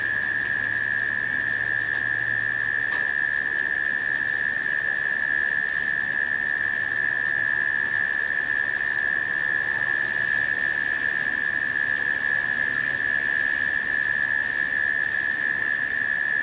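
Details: During a late-summer rain shower, cicadas produce a constant steady hum at one pitch, uninterrupted throughout, with rain pattering all around and a faint low rumble early on.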